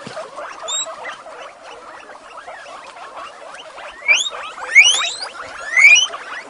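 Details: Several female guinea pigs in the ladies shed at Avalon Guinea Pig Rescue calling eagerly at breakfast; soft chattering builds into three loud rising whistled squeals near the end.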